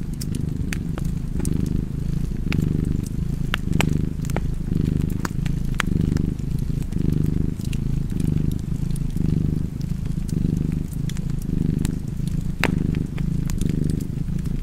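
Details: Low, rough purring from a cat next to a fireplace, rising and falling in an even cycle close to once per second, over frequent dry crackling of burning wood.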